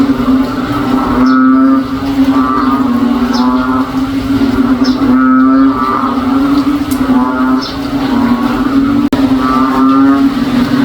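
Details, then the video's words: Rainy-day frog chorus in a provincial backyard, described as cow-like: an unbroken low drone with rhythmic, buzzy pulsed calls recurring every couple of seconds, plus one sharp click near the end. "NOISY FROG SOUNDS LIKE A COW IN OUR BACKYARD ON A RAINY DAY"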